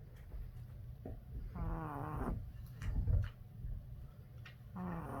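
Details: A tired Boston Terrier puppy snores in its sleep: one longer wheezy, harmonic snore near the start and another building at the end, separated by quieter breathing, soft rustling and low background hum.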